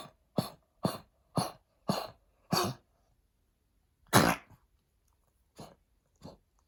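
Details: A blind senior Pekingese, during heartworm treatment, coughs in a rapid string of harsh, hacking bursts, then a few more after a pause; heartworm damaged his lungs.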